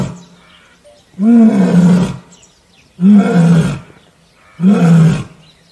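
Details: Asiatic lion in Gir Forest, Sasan Gir, Gujarat, giving deep, hoarse roaring bursts, three about a second long with gaps of roughly half a second to a second, each with a rumbling low tone and rough breathy edge; quiet background between calls.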